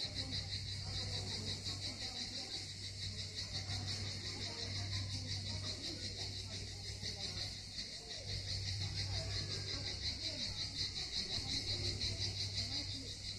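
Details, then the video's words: Cicadas singing on the southern coast of Crimea at Miskhor harbour near Yalta: a dense, unbroken high buzzing chorus with a fast pulsing shimmer, over a steady low hum and faint background noise. "Пение Цикад"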